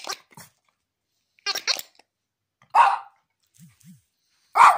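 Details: Pomeranian cross dog asked about its toy, answering with short throaty vocal bursts, two quick pairs then two louder single yowls spaced over about five seconds; a person's voice asks whether it likes its toy.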